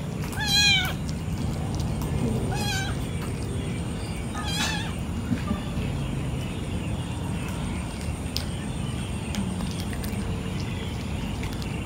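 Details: Cats at night while eating fish: three short harmonic meows in the first five seconds, then only a constant low rumble of background noise.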